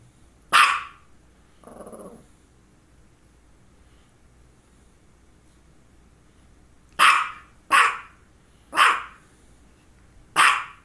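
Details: Dog barking near two focal seizures, one just before and another shortly after: a single sharp bark, a brief low growl, then four loud barks spaced about a second apart, indoors.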